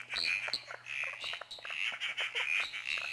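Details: Southern emerald spotted tree frog (Litoria tyleri, laughing clown frog), told from the similar emerald spotted tree frog mainly by its call, calling in a back yard: a dense, high, rattling run of quick clicks and buzzy chirps, pulsing over a faint hum.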